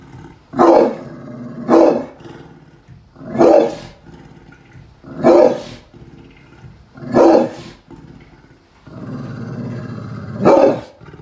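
A pit bull gives loud, deep, gruff barks, one at a time, roughly every second or two.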